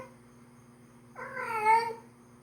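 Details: Domestic cat, a female in heat, calls loudly to attract a tomcat: one long harmonic meow that swells and bends downward over about a second, over a constant low indoor hum.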